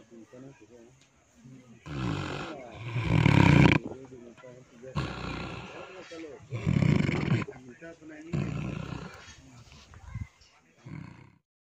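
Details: Sleeping pig snoring with deep, harsh, throaty rasps, about five drawn-out breaths in under twelve seconds, separated by softer wavering sounds.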